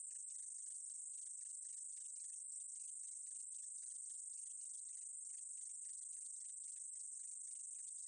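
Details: Meadow katydid producing an even, sizzling high-pitched drone that runs without pause, with rapid scratchy ticks layered underneath.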